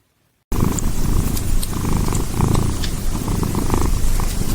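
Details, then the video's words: Pet cat purring close up: a steady, low rumbling drone with a soft, even pulse that runs without a break for about four seconds. "Funny cats!"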